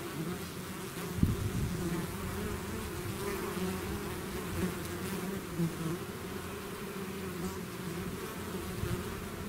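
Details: Many bees swarming out of their hive, a constant low droning buzz with scattered louder passes and small clicks of individual insects flying near.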